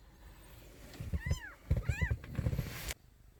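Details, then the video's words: Nabi's young kittens, rescued street cats, crying indoors: two short high arched mews over thumping and rustling, then a burst of noise that cuts off abruptly. "새끼고양이들의 우렁찬 울음소리"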